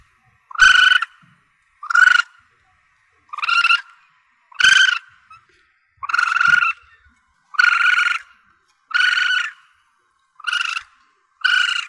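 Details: Asian palm civet kitten calling, a recording used to attract civets when hunting; nine evenly spaced buzzy, nasal mews, each about half a second, repeated roughly every 1.3 seconds against silence.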